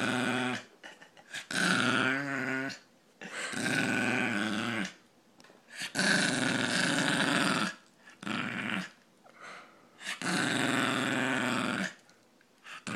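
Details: Ozzy, a Brussels pug, repeating his funny noise in five rasping, throaty snort-grunts of one to two seconds each, spaced by brief quiet gaps.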